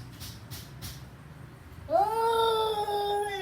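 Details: Kitten meow: one long, clear, tonal cry that rises quickly, then holds steady for about a second and a half, with three soft faint taps in the quiet before it.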